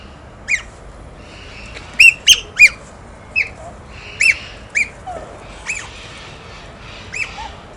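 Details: Otters playing with stones give sharp, high squeaky chirps, single or in quick bursts of two or three, repeated irregularly over a faint steady background hiss.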